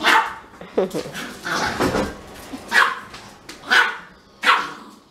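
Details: Siberian Husky kept away from a Pomeranian it wants to smell, crying in a run of brief yelps, uneven at first and then spaced about a second apart, with a person talking over the start.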